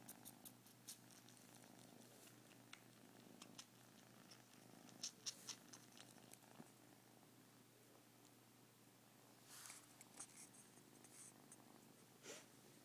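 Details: Kitten purring while sucking on the ears of a smaller kitten, a soft continuous low rumble with wet suckling clicks and light rustling scattered through.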